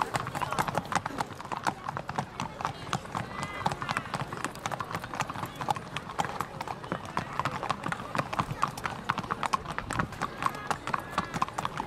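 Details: Horses racing flat out in a race held 31 May 2015. Fast, steady thudding hoof strikes throughout, overlaid by continuous excited race commentary.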